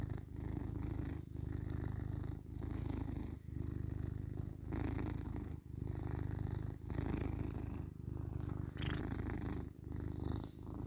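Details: Pet male tabby cat purring at home: a sustained low buzz that pauses briefly at each inhale, about every second, with a few faint clicks in the background.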